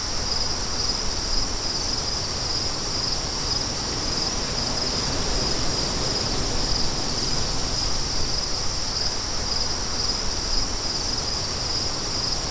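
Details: Crickets trilling continuously at a high, even pitch, a band of steady buzzy sound, under strong steady wind roaring across the low and middle range.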